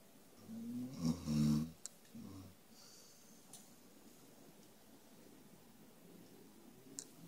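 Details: Sleeping dog named Five snoring indoors: two or three low, rumbling, throaty snorts packed into the first two and a half seconds, then near silence with faint room hiss and a couple of soft clicks.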